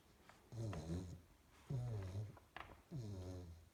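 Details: A dreaming springer spaniel puppy, 12 weeks old, gives three drawn-out, groaning snores that slide downward, each about a second long and spaced roughly a second apart, with faint squeaks between them.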